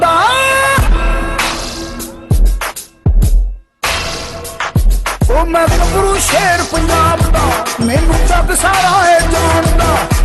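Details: Hip hop music with rapped and sung vocals over a heavy bass beat, broken by brief pauses, with no animal sound heard.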